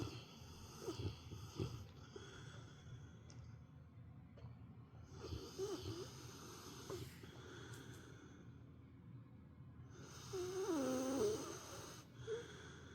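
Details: Pet dog, a female, napping at home and snoring like an old man; rough breathy snores rise and fall in irregular bursts, loudest near the end with a whistling wheeze.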